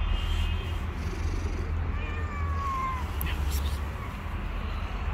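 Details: Female cat harassing a bully male cat, one long whining yowl sliding downward mid-clip above a constant low rumbling background.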